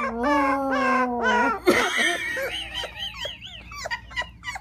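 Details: Cocker Spaniel puppy howling for the first time indoors: a steady, drawn-out tone with rich overtones held for about a second and a half, then breaking into wavering, higher cries while a woman exclaims excitedly.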